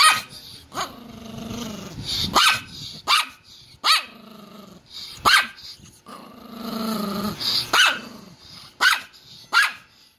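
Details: Angry poodle giving powerful barks mixed with growling: rumbling snarls between sharp, bursting barks spaced irregularly, about ten barks over the stretch.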